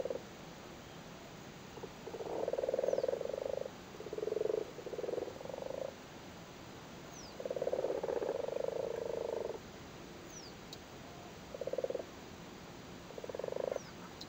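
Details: Irish frogs gathered on spawn in a flooded cattle grid in Cork make grating, pulsed croaks in clustered bursts, two long runs of about two seconds plus shorter isolated calls.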